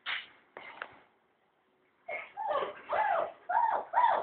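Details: German Shepherd puppies indoors giving high, squealing yelps with arched, rising-then-falling pitch, a couple of short cries, a pause, then a rapid run of about five yelps.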